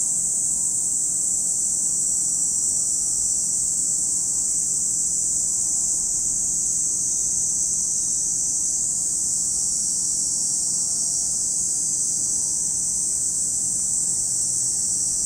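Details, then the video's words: Long, uninterrupted high-pitched cicada chorus at Lake Kamo in Sado City, Niigata Prefecture, Japan, steady in loudness and tone, with faint low droning in the background. "Lake Kamo in Sado City, Niigata Prefecture, Japan, where you can hear the voice of cicadas."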